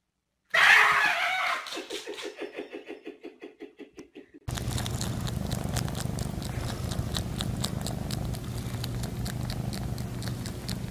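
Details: Pet cat from a funny cat compilation: a loud harsh cry breaks in, then rapid pulsed rumbling notes that fade over about four seconds, followed by a steady hiss with frequent clicking and rustling.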